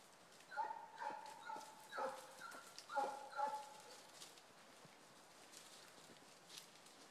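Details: Two Basset Hounds working a rabbit trail, their bays somewhat distant: a handful of short, resonant cries in the first half, then quieter background with faint scattered noises.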